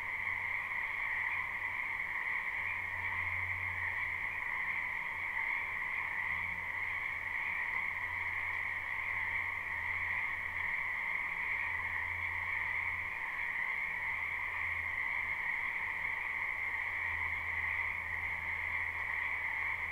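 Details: Live night-style ambience of many frogs croaking in a spring wetland: a steady, dense chorus of high pulsing trills without break. Low humming swells appear now and then underneath.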